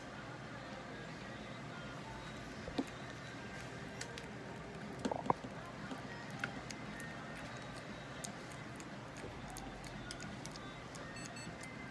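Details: Low steady indoor hum with a few faint clicks and soft handling knocks, no animal voice.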